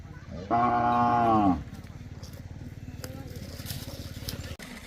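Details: Khillar calves, one five months old and the others seven to eight months, in Maharashtra; a single one-second low, full moo rises and falls, followed by steady engine-like throbbing and faint background voices.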